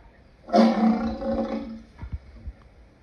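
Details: Lion giving a single rough, broadband roar lasting about a second, followed by a few low dull thumps and quieter rumbles.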